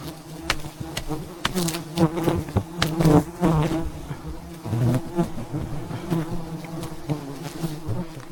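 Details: Thousands of wild bees around a giant beehive high in the mountains as a honey hunter harvests it. A steady low droning hum with layered overtones runs throughout, broken by frequent sharp knocks and cracking handling noises.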